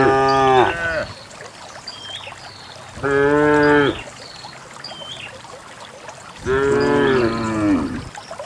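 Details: Healthy cows walking calmly down a green hill into a fertile valley; three full, rich moos come roughly every three seconds, with small bird calls faintly in the background.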